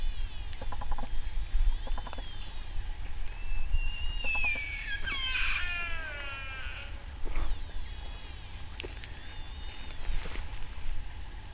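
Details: Sika deer stag crying at RSPB Arne on 20 October 2012: a drawn-out, high wavering scream that bends downward over several seconds, with short clucking notes before it and quieter echoing cries afterwards over low background rumble.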